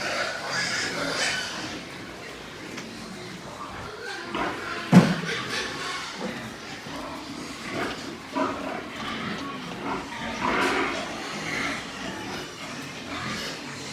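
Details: White pigs on a pig farm in Nepal give scattered rough, noisy grunts, with one sharp loud burst near the middle, over a steady hum of farm background noise.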